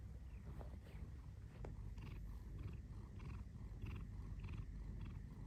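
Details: Domestic cat purring: a low, steady rumbling drone fills the recording, with faint short higher-pitched pips repeating in the background.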